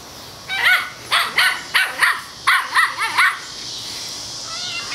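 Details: Four seven-week-old male Toy Schnauzer puppies romping and playing outside, giving a quick run of seven high, sharp yapping barks in two bursts over about three seconds, then a soft whine at the end.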